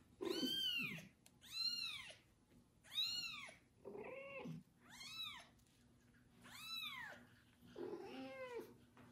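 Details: Kitten loudly meowing after its first bath while a foster mother cat licks and cares for it indoors; a steady series of seven high, arched meows roughly every second and a half.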